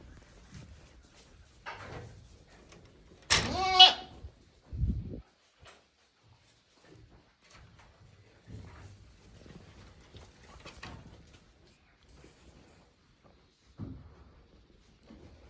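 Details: Goat kid one day old at a farm, 17 April 2024: one loud, wavering bleat with a strong harmonic tone, then a short second cry and soft rustles and shuffling across an otherwise quiet stretch.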